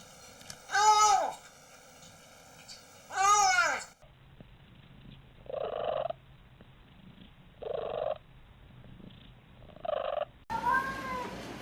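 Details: Pet cat uttering strange sounds: two loud arched meows, then four short muffled nasal mews at regular intervals, ending with another bending meow.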